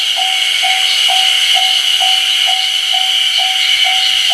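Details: Ezo haruzemi cicadas in full song at the Ōgiri level crossing on the Kamaishi Line, 1 June 2019: a dense, unbroken high buzzing chorus, with an evenly spaced lower tick pulsing about twice per second underneath.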